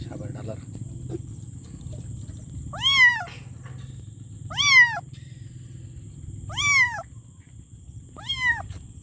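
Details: Kitten meowing for its mother, four clear descending meows roughly every two seconds after a quieter start, over steady low background noise and a faint high whine.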